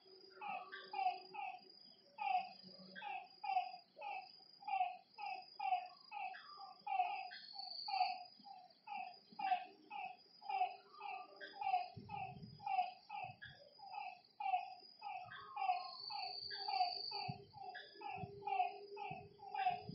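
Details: Night chorus of frogs beside a lake, dozens of brief honking notes stacked in rapid, nearly rhythmic succession, backed by a shrill unbroken insect whine and occasional low knocks.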